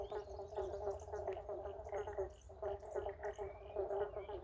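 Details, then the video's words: Chorus of eastern banjo frogs (pobble bonks) at Woodlands Historic Park near Melbourne, Australia: countless low, twangy bonking calls overlapping into a steady pulsing wall of sound, a few faint high whistled notes drifting over it. "Pobble bonk symphony"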